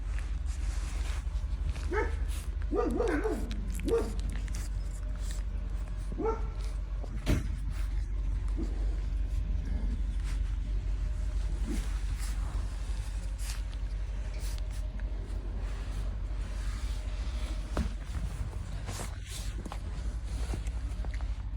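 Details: Thirty-day-old puppies nursing from their mother dog. A cluster of short, tonal whimpers and whines comes early, followed by scattered brief yelps, all over a steady low hum.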